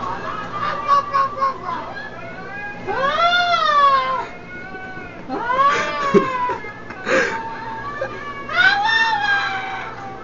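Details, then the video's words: A dog making 'talking' sounds: loud, arching, wavering yowls that rise then fall, some drawn out and some clipped short, separated by brief pauses, over a low steady hum. "Talking Dog Sounds"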